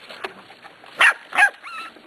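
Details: Two loud, short yips about half a second apart from six-week-old Pembroke Welsh Corgi puppies, recently weaned and eating dry food, followed by a fainter wavering whine over quiet indoor rustling.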